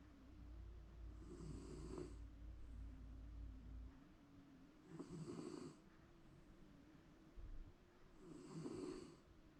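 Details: Shiba Inu snoring contentedly through a daytime nap indoors, seemingly dreaming: low buzzing inhalations swell into breathy hisses roughly every three and a half seconds, steady and unhurried, with a faint hum underneath.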